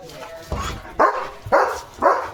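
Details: German Shepherd at home in the afternoon barking at a flock of sheep passing outside: four quick, loud barks about half a second apart, with a person talking in the background.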